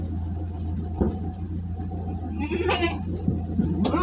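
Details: Jumbo goat being delivered near Singosari, Malang, gives a single short harmonic bleat lasting under a second, heard over a steady low vehicle rumble with scattered knocks and clatter.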